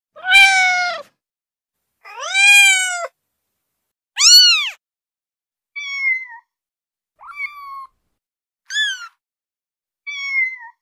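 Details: Female kitten sounds for attracting cats: seven meows over about ten seconds, the first three louder and arching, followed by short, thinner, high mews with brief downward or upward inflections, no other sounds.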